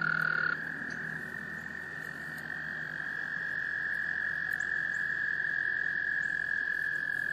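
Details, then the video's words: Spring breeding chorus of American toads in a South Carolina pond, Laurens County, March 2014, males calling to attract females: a brief loud trill cuts off, leaving a fainter steady trill from other toads continuing throughout. "American toads, Breeding behavior"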